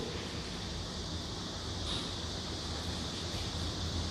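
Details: Steady broadband outdoor noise like wind or distant traffic, with no animal voice.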